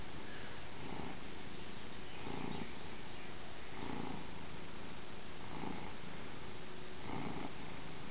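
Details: Neighbour's domestic cat, handled as if played like a bagpipe, gives low rumbling purr bursts pulsing about every one and a half seconds, each swelling then fading, with steady background hiss.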